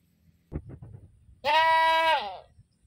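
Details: Goat screaming with one long, loud, steady bleat of nearly a second, rich in harmonics and ending in a downward slur, after a few soft thumps and clicks.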